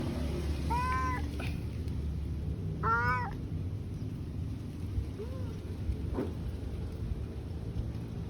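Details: Domestic cat meowing indoors, two clear drawn-out meows a couple of seconds apart followed by a softer, shorter one, over a low steady hum and faint handling noise.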